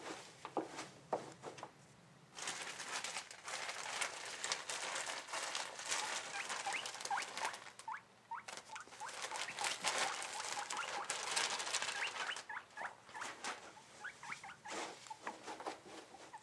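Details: An excited 7-month-old male guinea pig (Cavia porcellus), recently started making these sounds, gives short, thin rising squeaks over a steady rustling patter while his cage is cleaned.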